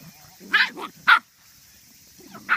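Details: Medium poodle puppies playing at hunting, squaring off against a lion: three sharp, high yapping barks, two close together near the start and one more after a pause, over a quiet background.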